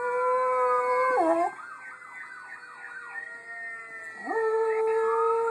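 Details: Miniature Schnauzer at home answering a played-back howling Schnauzer: long sustained, strongly harmonic tones with a dipping swoop, a wavering, siren-like warble in the middle, then a low scoop rising back into a level held note.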